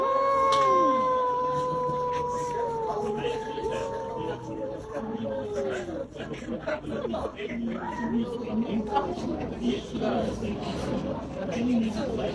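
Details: Domestic cat wanting to fight but only arguing; drawn-out wavering yowls that glide up and down in long harmonic tones, loudest in the first five seconds, then broken, overlapping moans, with a constant background hiss.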